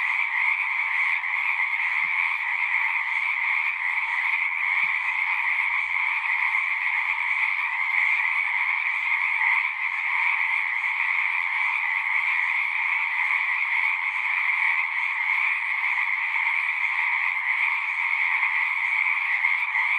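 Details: Frog chorus from a pond in a horse pasture, captured with a Zoom recorder: countless overlapping trills form a constant high, ringing drone, with a few faint low knocks early on.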